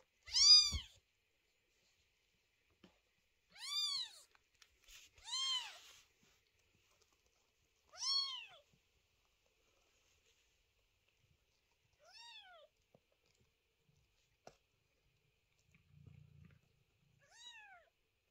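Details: Chloe's newborn kitten meowing loudly at night, a noisy little one: six high, arched cries spaced two to four seconds apart, the early ones strong and the last ones fainter, with near silence between.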